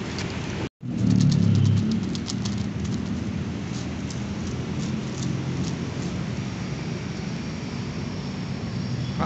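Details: Steady roadside rumble with vehicle noise and rain-like hiss after a brief dropout, with no animal voice heard.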